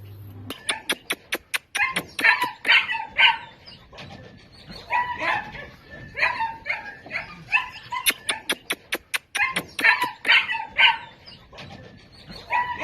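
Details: Toy Pomeranian dogs at a dog market in Delhi, India: rapid high-pitched yapping barks in dense bursts, many in quick succession, with overlapping yelps and sharp clicks in between.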